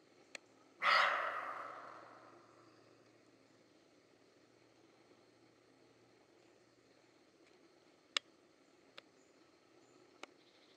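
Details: European roe deer in Mazovia Province, Poland, July 2015: one harsh, broadband bark near the start that fades over about a second, followed by near silence broken by a few faint sharp clicks.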